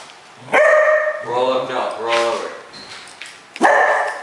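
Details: Cocker Spaniel that knows how to roll over vocalizes back instead of doing the trick on command: short yelping and grumbling harmonic calls, some drawn out, between a person's repeated spoken commands.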